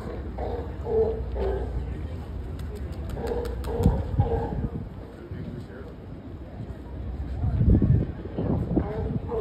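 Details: Sea lions at Pier 39 in San Francisco, seen up close, give hoarse, harmonic barks in short bursts, a cluster near the start and another around four seconds, over steady crowd chatter and low urban rumble.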